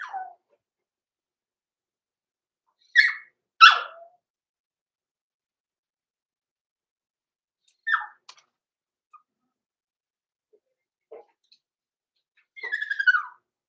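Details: Overnight in a home puppy pen, two six-week-old blenheim Cavalier King Charles Spaniel puppies, Roman and Blue, give scattered whines and sharp yips, several loud and abrupt, closing with a longer sliding whimper; quiet gaps between.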